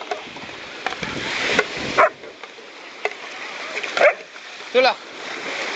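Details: A German Shepherd working dog barking three times, loud single harmonic barks spaced about a second apart, over a steady rushing splashing background noise.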